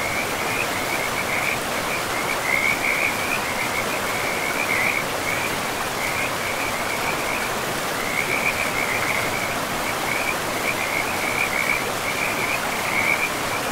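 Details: Forest river with frogs: bursts of high, grating trills recur every second or two across the whole stretch, some louder than others, over a thick, even hiss of running water.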